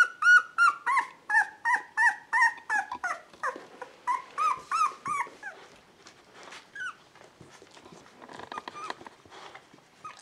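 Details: Beagle puppies two weeks old, from a litter born 19 February 2016 at a breeding kennel, give a quick run of high whining squeals that fades after five seconds into softer scattered whimpers and rustling.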